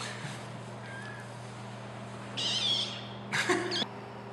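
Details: Two-week-old clouded leopard cubs at a zoo, feeding and snuggling, give two brief, squeaky mews over a steady low electrical hum.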